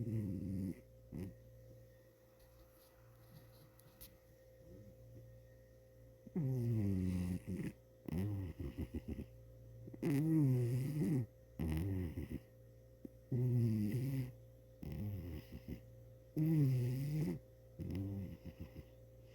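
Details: Sleeping cat snoring indoors, low rasping breaths in bursts about every two to three seconds, each with a rough wavering tone, quiet gaps between, a steady faint hum underneath.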